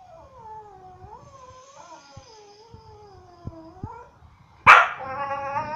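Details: A dog at a dog resort in Phuket complaining: long wavering whines that dip and rise over four seconds, with soft taps, then a sudden harsh yelp-like burst.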